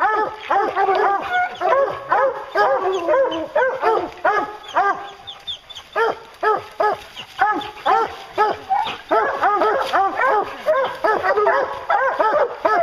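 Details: Bear hounds in full cry, a continuous chorus of bawling barks and yelps from several dogs, rhythmic bursts over two per second, with a brief lull near the middle before the baying resumes.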